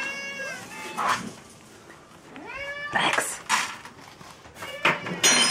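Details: At feeding time, domestic cats give a few rising, plaintive meows spaced a couple of seconds apart, mixed with bowl clatter, rustling and handling noises.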